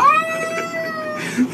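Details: Domestic cat giving a single long, steady meow with a quick upward start and a level, slightly falling tail, clear harmonics throughout, in a quiet indoor setting.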